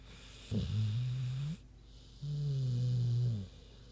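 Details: A big pig named Queenie snoozes, giving two long, deep, buzzing snores about a second and a half apart, each steady and low with a slight rise at the end, separated by quiet breaths.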